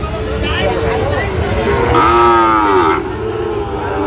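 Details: Sahiwal bull calves at a cattle market in Tangail, Bangladesh, 19 September 2025: one drawn-out, slightly falling moo lasting about a second, amid loud crowd chatter and bargaining voices.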